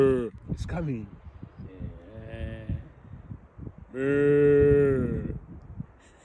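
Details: People talk briefly, then a cow lets out one loud, drawn-out, low moo lasting about a second, with a steady rich tone. Voices and small knocks surround it.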